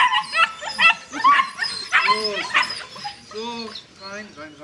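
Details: White Swiss Shepherd puppies almost nine weeks old, a litter of eleven let out of their kennel in the morning: overlapping high whimpers and short yelps, some drawn-out arched whines near the end, while a person calls to them.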